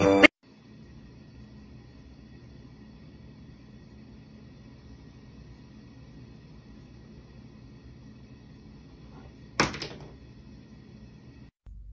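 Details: A steady low hum fills a quiet indoor room, broken by a sharp knock at the start, a brief clattering thunk near ten seconds, and a short click at the end; no animal voice is heard.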